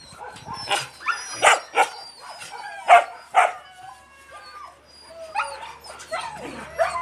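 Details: Yakutian Laika puppies, muddy, with their mother, giving a run of high, tonal whines and short yelps that rise and fall, in loose bursts roughly every second, with softer squeals near the end.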